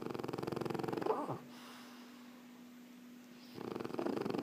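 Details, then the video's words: Snoring French Bulldog Erna, resting indoors: a buzzy, vibrating snore opens the stretch, a quiet pause with only a constant low hum follows, then another rattling snore builds toward the end. "Erna,die französische Bulldogge schnarcht"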